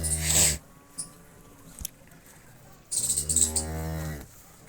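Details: A Cholistani Jersey cross cow, offered for sale, gives two low, droning moos rich in overtones. The first is short and the second is longer, held for over a second with a slightly falling pitch. Quiet room background between the calls.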